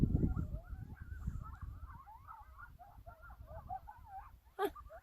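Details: A bunch of wild coyotes calling near a campsite at Badlands National Park, a rapid chorus of high wavering yips and short wobbling howls tumbling over one another, with low rumbling wind noise and a sharp click near the end.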